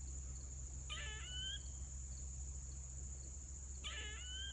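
A squirrel gives two short, harsh screeches about three seconds apart over a steady insect drone.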